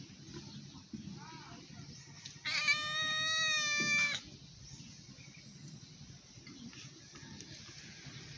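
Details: Hungry stray cat meowing loudly while asking for food; a single long, drawn-out meow lasting about a second and a half, holding a steady pitch, over a low hum of background noise.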